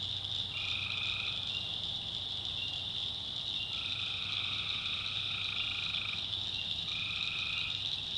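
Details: Tree frogs calling at night in a swamp in the backwoods of North Carolina: steady, drawn-out droning notes about a second long come in three bouts over a constant high, shrill chorus that fills the background.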